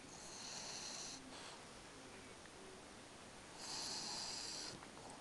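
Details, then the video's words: French Bulldog named Spike snores in his sleep in a quiet room, giving two long nasal snores about three seconds apart, each with a high, whistling, wheezy edge. "french Bulldog "Spike schnarcht"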